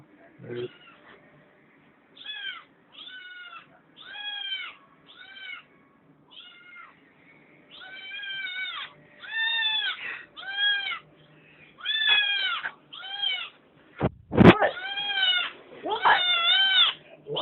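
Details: Kitten Felix whining persistently for something from the refrigerator: a long run of about fifteen short, arched meows, repeating every second or so, with a loud knock partway through and a person's voice in the background.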